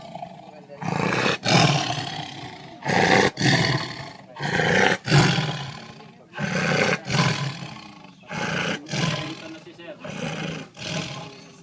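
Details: Lion roaring: a series of deep, harsh, rasping bursts, each lasting about a second, repeated in quick succession with short gaps, punctuated by sharp clicks and handling noise.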